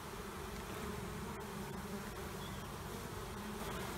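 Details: Two honeybee colonies being removed from under a trailer in Panama City; an even, unbroken low buzz of a mass of bees fills the recording.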